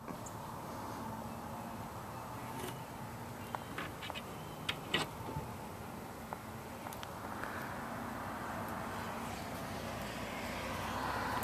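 Steady outdoor background hum with a few faint clicks and knocks, but no animal voice.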